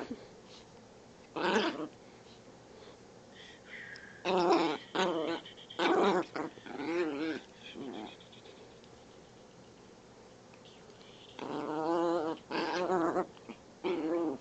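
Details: Chihuahua at morning play, making scattered short whiny growls and yips in bursts, with a longer wavering moan near the end and quiet gaps between outbursts.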